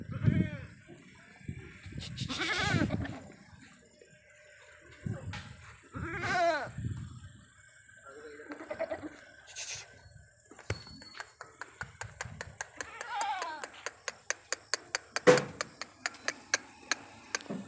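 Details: Sirohi goat kids on an Ajmer farm bleating repeatedly, several wavering, nasal cries in the first seven seconds, then a few softer calls amid a fast run of regular clicking.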